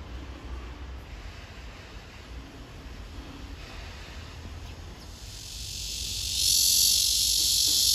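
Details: Cicada, herald of summer, singing a love serenade to win a mate: a quiet outdoor background for about six seconds, then a loud, steady, shrill buzzing drone swells in abruptly and holds to the end.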